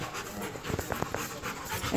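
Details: Rottweiler named Macho panting while heading to the park in the rain: quick, rhythmic breathy huffs in short bursts over a steady hiss of rainfall.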